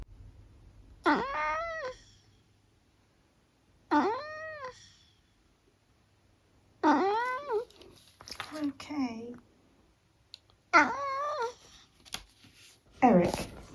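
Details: Eric, a talkative senior tabby mix cat living with his family in the UK, chats with his owner indoors: short, arched, harmonic meowing squeaks come in bursts every few seconds, with a woman's voice talking between them.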